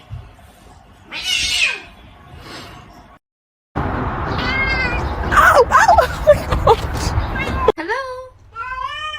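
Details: Cat meowing amid a noisy, clattering stretch, then two clear short meows close together near the end, with a brief silent gap earlier.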